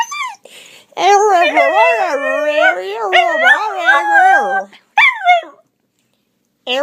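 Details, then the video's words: Pet dachshund set off by sounds that drive him nuts, producing a long, loud, wavering howl that rises and falls for several seconds, then a short second yowl, with a person calling him afterward. "My little wiener makes weird noises"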